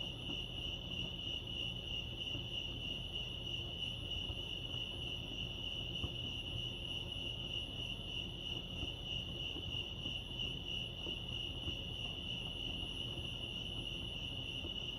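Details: Crickets chirping at Lake Arrowhead, California, a steady high pulsing trill held without pause, rapid repeated chirps blending into a continuous band, over a low rumbling background.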